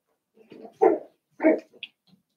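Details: Seven-week-old Cavalier King Charles Spaniel puppies, Daisy's litter, in an indoor home puppy pen: two loud, short yelping barks about half a second apart, preceded by softer grumbling noises, with a faint squeak at the end.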